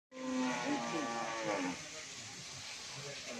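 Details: Dairy cow of Mundi, Holstein Friesian or Jersey breed on a dairy farm in Bhangura, Pabna, Bangladesh, giving one long, drawn-out moo lasting about a second and a half, steady and then tapering off, over a faint background hum.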